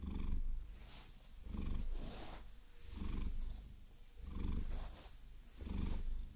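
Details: Rumbling purr from Maine Coon Vasilisa during a massage with long nails, recorded binaurally; five rhythmic breath-paced swells of deep vibration, with brushing and scratching noise most prominent around the second swell.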